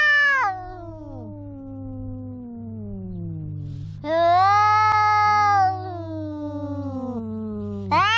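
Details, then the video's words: Loud cat meows alternating with long descending moans, the wails bursting out roughly every four seconds over a steady low hum. "The cat is making a big noise"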